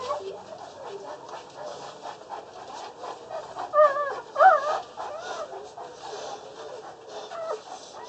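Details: Six Boerboel puppies, two male and four female, less than one day old, at a kennel. They give thin, squeaky whimpers that rise and fall, overlapping almost continuously, with a few louder squeals in the middle.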